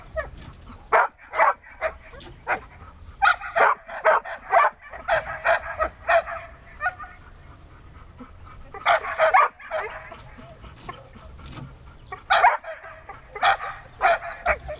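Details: Siberian Husky named Dexter during search and rescue training, giving loud sharp barks and yips in bursts, some clustered and others spaced about half a second apart, with quiet pauses between the volleys.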